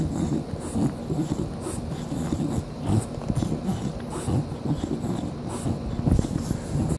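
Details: English Bulldog chewing a toy on 07/03/2015, with rough snorting breaths and gnawing noises in irregular bursts, plus a high steady whine in the background.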